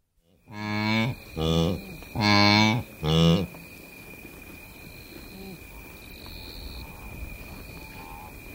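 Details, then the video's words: Blue wildebeest in Masai Mara Game Reserve, Kenya, giving four loud, close, nasal grunts in quick succession over about three seconds, followed by a steady insect whine and faint bird calls in the background. "Blue Wildebeest / CU Grunts"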